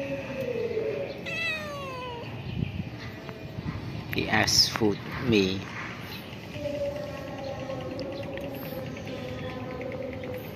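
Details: A cat at a pagoda, one of several cats and kittens living there and being fed, gives a long drawn-out falling meow, then louder rough strained cries midway, over steady background hum and faint voices.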